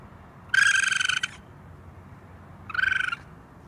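A raccoon gives two high, rapidly pulsing trills, a longer one followed by a shorter one.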